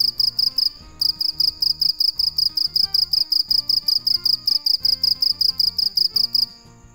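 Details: Night-singing dế mèn cricket giving a loud, fast train of sharp high pulses, a brief break after the first second, then steady chirping that fades out at the end; quiet music plays underneath.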